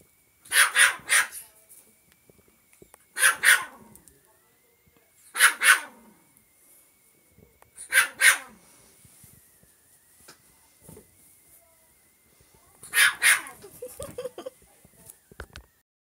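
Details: Indoors, a young male pet chinchilla makes short bursts of sharp, squeaky barks. Each burst has two or three yaps and comes every two to five seconds. A faint steady hum and small clicks sound between bursts.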